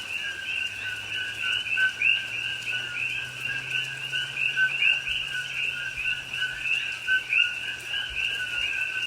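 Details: Coqui frogs calling at night during rain in Hawaiian rainforest, Pahoa, October 2021; many frogs give rapid overlapping 'co-qui' notes, a low tone followed by a rising higher chirp, against steady rain and a faint low drone.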